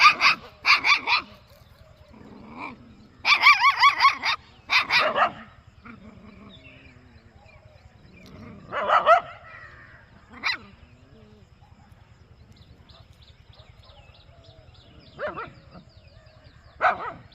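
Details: A puppy in a peaceful village gives short, high yapping barks in quick bursts, with pauses and a steady low hum behind.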